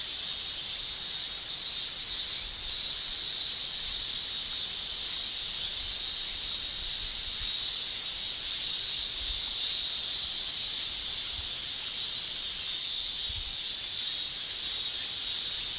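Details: Continuous high buzzing shrill of male cicadas on a summer day in Japan, a flat wall of sound with faint low rumbles underneath.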